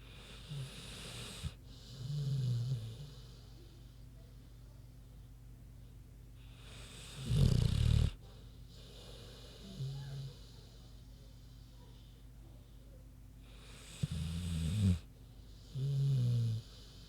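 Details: Queenie the pig snoozing, snoring with deep rasping inhales and softer grunting exhales, a snore cycle roughly every six to seven seconds over quiet background.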